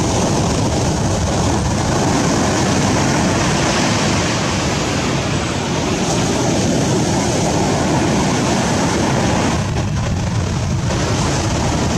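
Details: Steady broadband rumble like wind or engine noise, with no animal voice heard.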